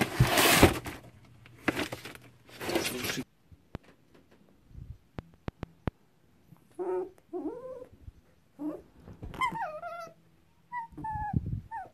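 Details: Pet fox, nervous after waking and refusing to be petted, gives high harmonic squeals with wavering, falling pitch in the second half, after loud rustling handling noise at the start.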